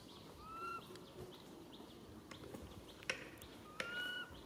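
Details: Baby monkey named Rain calling its mother Rany for help: two clear, smooth, slightly rising tonal calls with a faint overtone, one early and one near the end, amid quiet outdoor background and a few sharp clicks.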